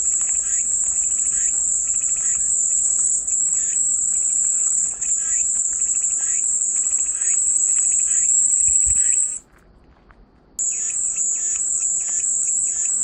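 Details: Steady high cicada drone that cuts out abruptly near nine seconds, leaving about a second of silence before the buzzing resumes just as strongly; soft faint chirps sit beneath, meant as relaxing white noise.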